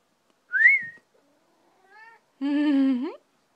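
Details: Male pet Maine Coon cat that follows its owner and meows whenever the owner whistles. A short rising whistle comes first, then a faint brief meow, then a loud drawn-out harmonic meow lasting nearly a second that rises at the end.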